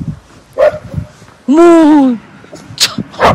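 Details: Puppy barking angrily after being given only treats, at a mountain village campsite in Jecheon, South Korea, in -16°C winter cold: one drawn-out, whining, slightly falling yelp of about half a second, with a short yelp earlier and clicks around it.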